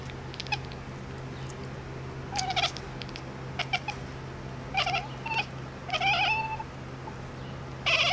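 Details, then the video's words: Domestic cat making unusual sounds: a series of short, high chirping bursts in scattered clusters, some with a brief clipped trill, over a steady low electrical hum. "Funny cat sounds"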